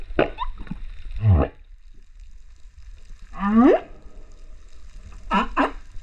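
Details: Singing male humpback whale at Rurutu, 28 September 2024, captured underwater on a GoPro: a low falling groan, then a bright upswept whoop after a pause, followed by two quick rising cries near the end.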